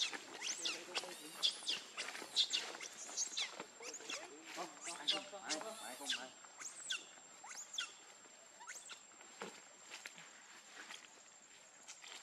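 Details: Baby monkey named Lucie, very hungry for milk, crying: shrill, high arching squeals and whines in quick irregular bursts, densest over the first seven seconds, then thinning to a few faint cries against a steady high electronic hum.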